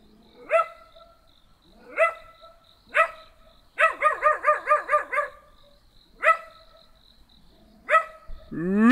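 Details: Small black dog barking while someone tries to talk to it: sharp yelping barks with rising onsets, single barks spaced one to two seconds apart and a rapid burst of about seven in the middle, over a faint steady high whine.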